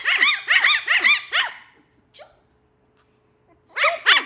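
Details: Lhasa Apso puppies playing and fighting: rapid, high, arching yaps in a quick burst of four, a pause, then two more yaps.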